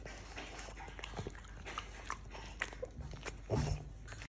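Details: A Blue French Bulldog snuffles and grunts, with short low snorts breaking through a steady background hiss.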